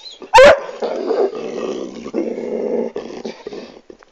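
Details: Pet dog growling contentedly while his owner strokes and caresses his hips, indoors; a low, rough, rumbling growl held for about three seconds, with a brief sharp sound and a person's voice just before.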